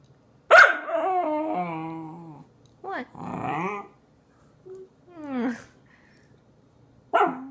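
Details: Corgi throwing a tantrum, grumbling in long moaning growl-whines with harmonic bands, then shorter grumbles and a sharp yip near the end, with quiet room background between vocal bursts.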